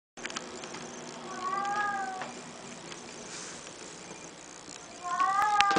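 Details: A pet cat that its owner says talks but only says one word, giving two drawn-out harmonic meows, one early and one near the end, over a faint steady background hiss indoors.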